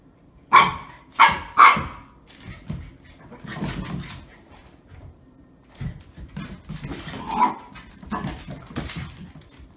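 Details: Shiba Inu at play with a second dog indoors in New Jersey during a first visit; three loud sharp barks in quick succession open, followed by softer grumbling growls and scuffling, then a few more yips.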